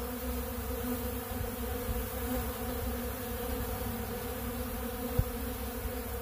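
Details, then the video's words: Honeybees feeding on bee pollen at a large blue pollen feeder, a steady, dense hum of many wings with low droning bands throughout and one brief tap near the end. "Therapeutic Treatment Sounds Of The Honeybees"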